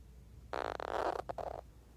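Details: Pig the hedgehog, sleeping, gives a single rasping, noisy snore lasting about a second, with a brief catch near its end, against otherwise quiet surroundings.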